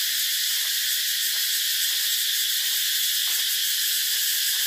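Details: Cicadas give a dense, unbroken hiss-like buzz that holds steady at a high pitch throughout, with no pauses or change in loudness.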